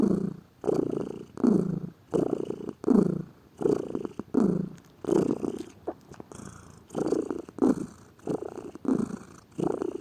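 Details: Lazy pet cat purring steadily, a low throaty rumble rising and falling in breath-paced bursts roughly every 0.7 seconds, with a brief faint higher hiss midway.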